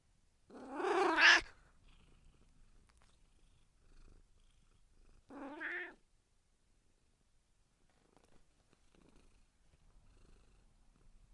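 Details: Domestic cat meowing: a loud, drawn-out harmonic meow near the start, then a shorter, quieter meow about four seconds later, with near silence between.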